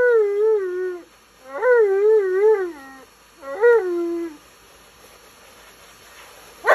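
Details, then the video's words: Tonka, an Alaskan Malamute, complains loudly during his bath, which he hates. Three wavering, warbling woo-woo howls rise and fall, the middle one longest, separated by short pauses, ending with a brief splash of noise. "Mad Malamute Speaks English While Complaining During His Bath"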